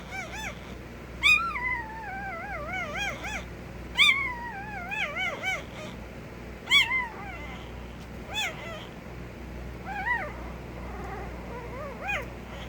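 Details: Puppy making repeated wobbling, looping whines and short high yelps, about every two seconds, over a low background hum.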